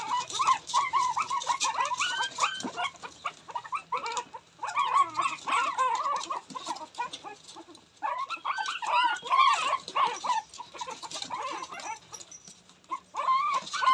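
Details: Several male Shih Tzu puppies yipping and whining together in irregular bursts of squeaky, wavering cries, with short lulls between clusters.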